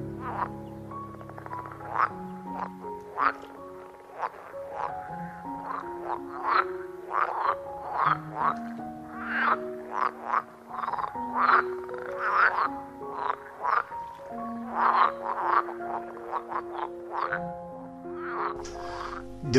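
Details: Green water frogs in the Engbertsdijksvenen peat bog, Netherlands, croak in quick, rattling bursts, heard at many spots, over soft background music.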